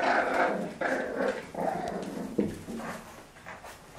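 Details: French Bulldogs give rough, grumbling growls and snorts in quick repeated bursts while play-fighting.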